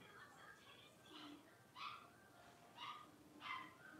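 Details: Blenheim Cavalier King Charles Spaniel puppies, a litter of five born at New Year's, playing in an indoor puppy pen; three sharp, high yipping barks about a second apart, with softer squeaky yelps between and faint background chatter.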